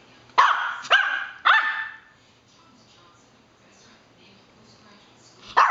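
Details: Yorkie barking for no reason: three quick sharp yaps in a row, a short quiet pause with low background hum, then one more bark at the very end.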